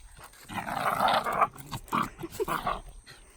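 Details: Two Shiba Inu, one red, play-wrestling at home, recorded 24 July 2019, one charging into the other in shoving play. Rough, raspy growling vocalizations in uneven bursts across three seconds, with a person's voice nearby.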